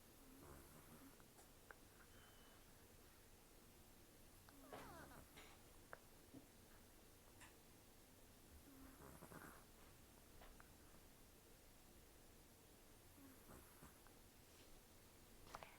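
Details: Sleeping rescued cat Taro, about 10 to 14 years old, taken in October 2024, with almost no teeth after gum disease and long outdoor life, snoring and breathing roughly: soft rasping nasal bursts every four seconds or so over quiet room hiss.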